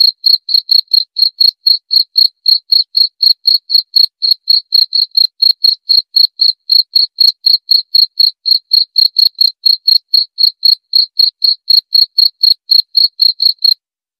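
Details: Continuous cricket chirping used as a sleep therapy and rat-repelling sound: bright, high pulses about four per second for nearly fourteen seconds, ending in a brief silence, nothing else audible.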